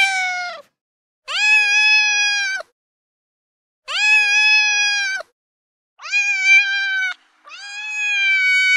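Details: Domestic cat in heat giving mating calls to attract a mate: four long, loud, drawn-out harmonic meows, each lasting over a second, separated by short silences, steady in pitch with a slight rise at the start.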